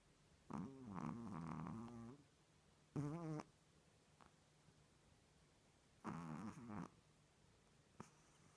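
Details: Chihuahua asleep indoors with tongue out and eyes open, snoring: three harmonic, rumbling snores, the first long and fluttering, the second short, the third about a second long, with quiet pauses between and a faint click near the end.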